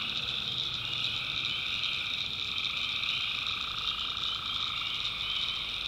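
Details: North Carolina backwoods at night with tree frogs in full chorus: an even, ceaseless blend of high buzzy trills in layered pitches, holding steady from start to finish.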